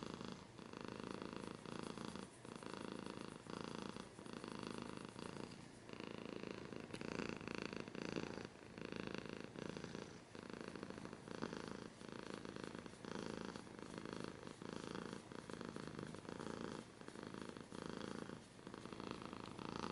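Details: Domestic cat purring continuously up close, a deep vibrating rumble pulsing in steady in-and-out breath cycles roughly every second, with brief quieter gaps between breaths.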